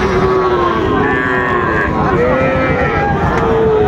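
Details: Sahiwal bull calf at Raniganj cattle market, Dinajpur, Bangladesh, on 6 June 2024, giving a few steady tonal moos that dip slightly at the end, over loud crowd noise and talk.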